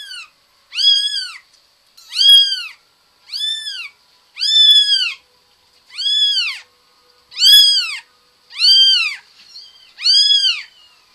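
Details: A domestic cat meows repeatedly indoors. There are eight clear, evenly shaped, arched meows, each about half a second long, spaced roughly every one and a half seconds. The background is quiet.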